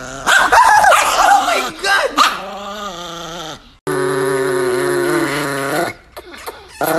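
A Chihuahua barks angrily in shrill, rapid bursts, then gives a long, whining snarl.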